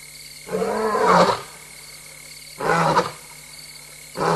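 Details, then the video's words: Lone restless lioness in Tembe in the small hours of 26 August 2022, live-camera recording: rough, throaty grunting roars in short bursts of about a second, three heard in quick succession over steady background hum. "Lion: F70-Mum alone restless and roaring"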